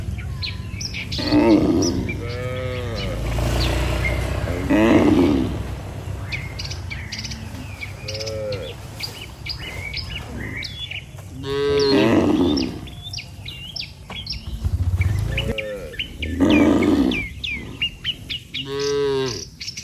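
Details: A herd of tame cattle returning together to the barn from grazing: short and long moos come every few seconds, some deep and rough, amid steady chirping of birds in the countryside.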